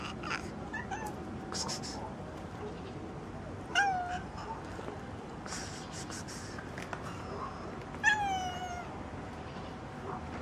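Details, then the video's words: Black cat with striped street cats meowing outdoors in a street: two clear, tonal meows about four seconds apart, each bright and slightly falling in pitch, over a steady low street hum with scattered clicks and taps. "Gato negro con gatos rayados maullan en la calle"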